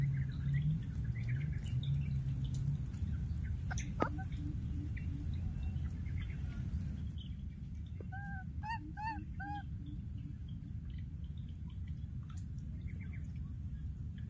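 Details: A baby monkey in the wild, having lost its playmate, gives a quick series of four or five clear arching cries with rich overtones after some early murmuring voices, over a continuous low rumble.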